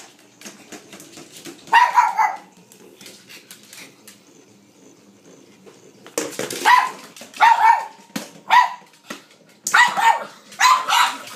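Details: Blind female pug that lost her eyesight, playing fetch with a noisy battery-operated ball she tracks by sound: sharp, high, excited barks in quick bursts near two, six to eight, and ten to eleven seconds, with steady clicking and rattling between.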